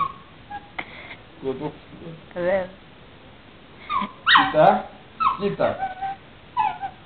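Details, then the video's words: A female puppy talking to her owner with short wavering whines and yips, several sharp rising cries around the middle, mixed with a man's Greek speech in a small room. "Puppy talking to her daddy"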